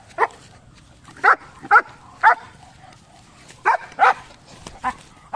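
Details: German Shepherd barking while fighting a goat: about eight short, sharp barks at irregular spacing across five seconds, some in quick pairs, over a quiet background.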